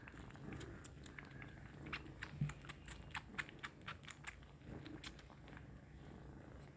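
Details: Kittens nursing on milk, making quiet rhythmic sucking clicks about twice a second. The clicks sit over a faint low hum, like a purr.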